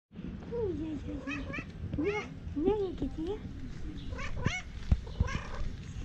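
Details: Domestic cats in a funny pet compilation, several short arched meows with rising-falling harmonic bands repeated through the clip, over a steady low background rumble and some speech.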